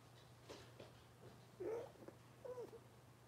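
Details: Cavalier King Charles Spaniel puppies from Robin's litter, indoors on a kitchen cam livestream; two short whiny squeaks that rise and then fall, with soft scattered rustles and a steady low hum underneath.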